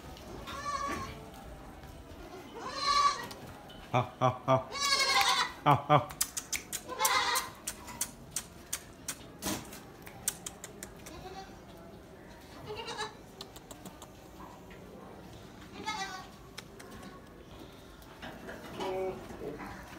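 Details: Newborn Gulabi goat kids on a farm, with several bleats of high, wavering pitch around the middle, scattered sharp clicks and knocks, and human speech in the background.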